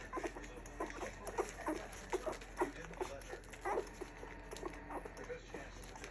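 A litter of two-week-old Standard Poodle puppies gives brief, thin squeaks and whimpers, many voices overlapping in quick bursts. Soft rustling and faint background murmur run underneath.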